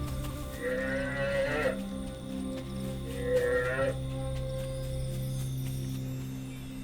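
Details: Recorded African buffalo calf calls replayed in darkness at Murchison Falls National Park so a researcher can attract and count hyenas; two moderately loud, moaning harmonic bleats about two seconds apart, followed by a low droning hum.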